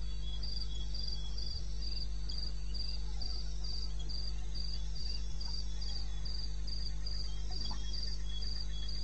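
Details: Cricket in the wilderness of eastern Botswana, recorded at 02:30 at night on 21 May 16: high, even chirps repeating about three times a second without pause, over a steady low hum.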